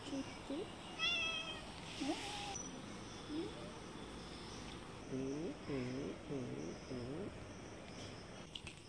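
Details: Domestic cats, a brown cat and a white kitten, outdoors on green grass behind a house, described as ready to fight: scattered short meows early on, then four quick arched meows in a row, with a higher chirping sound near the start.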